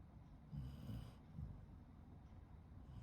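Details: Sleeping Shiba Inu dog snoring: a low, breathy rasp about half a second long, then a softer second snort, over quiet room noise.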